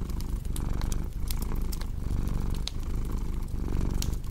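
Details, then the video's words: Close, loud purring from a cat: a low vibrating drone with clear rhythmic surges as breaths go in and out, over the irregular popping and crackling of burning wood. "Purring Cat with Cozy Crackling Fireplace Sound"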